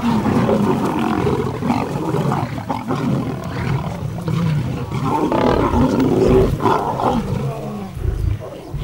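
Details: Lions of a pride squabbling over a freshly killed zebra, each fighting fiercely for its share as tempers flare; deep, rasping growls and snarling roars overlap almost continuously, swelling and fading without pause, with a heavy low rumble underneath.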